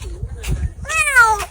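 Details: Cold, hurt stray kitten gives a single thin, fragile meow falling in pitch, preceded by faint rustles and low hum.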